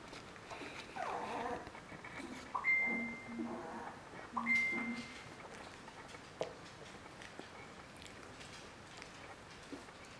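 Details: Three-week-old Border Collie puppies of a kennel litter whining in clustered bursts with a few thin, steady high whistles, then quieting into faint background rustle indoors.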